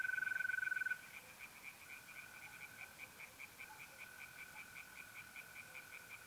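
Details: Tree frogs singing in a pond on an April night in north-eastern Italy; a loud steady mole cricket trill opens, then a fast pulsed chorus of rhythmic croaks repeats several times a second over a fainter continuous cricket trill.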